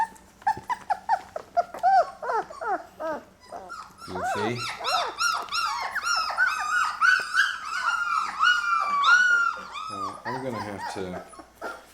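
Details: Day-23 Labrador retriever puppies from Mocha's litter, crowding around their first puppy food indoors; dense overlapping whines and squeaky yelps, several pups at once, growing louder midway with a held thin whine.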